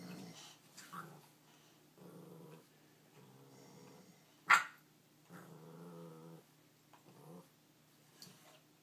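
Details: Nine-week-old puppy Fred trying to steal the bone of another dog, Ruby, indoors: low rumbling growls in bursts of about half a second to a second, broken by a sharp loud yip near the middle.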